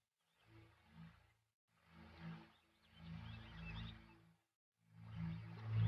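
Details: Lion producing a series of low, rumbling roars and grunts in several surges, each building and fading, with the last burst growing loudest.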